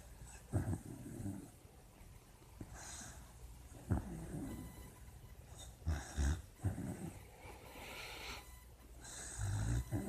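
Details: Puppy asleep and dreaming, making uneven low snorts and rumbling snores, with several short bursts between six and seven seconds and a longer grumble at the end; quiet indoor background.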